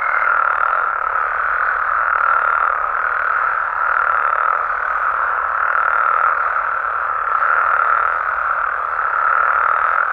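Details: Mexican frogs and toads calling through the night in the wild: a steady, many-voiced croaking chorus with slow, irregular surges in loudness, a brief high tone only at the very start.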